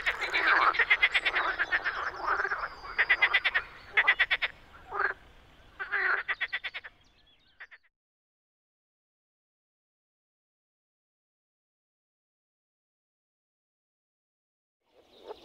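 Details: Frogs croaking in spring at a Czech pond or wetland: dense rapid rattling bursts for about eight seconds, then near silence, with one faint croak at the very end.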